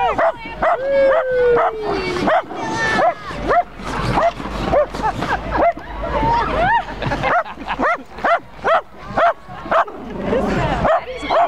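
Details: Dog barking at a person in a T-Rex costume during a parade: rapid, uneven volleys of sharp barks and high yelps mixed with people shouting "stop" and crowd noise.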